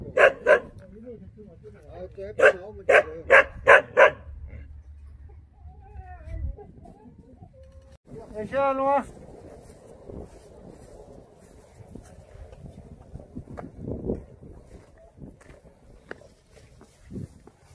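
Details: Jindo dog on Jindo island, Korea, fires off a string of sharp barks in the first four seconds, followed by a drawn-out whining note and quieter stretches with faint voices.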